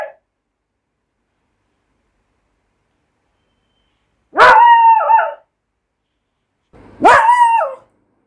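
A Beagle puppy gives two drawn-out, high, yelping barks a couple of seconds apart.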